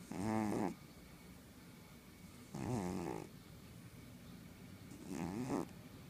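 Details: Pet cat named Lulu snoring indoors, three harsh, buzzy inhalations spaced roughly two and a half seconds apart, each swelling then cutting off, with faint room hiss between breaths.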